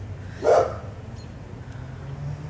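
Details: Neighbour's dog barking next door, described as never shutting up and apparently provoked by a person talking; a single short, mid-pitched bark sounds at half a second, then only low steady background hum.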